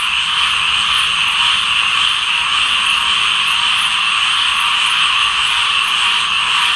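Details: Unbroken chorus of tree frogs, countless shrill croaking voices merged into one even, bright, high drone with a slight flickering texture and no pauses.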